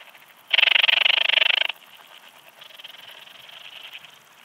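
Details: Eastern Alpine bush-cricket (Anonconotus italoaustriacus) singing at Heiligenblut, Austria, on 4 September 2020: one dense scratchy burst of rapid pulses lasting over a second, then a fainter, longer run of softer chirping pulses.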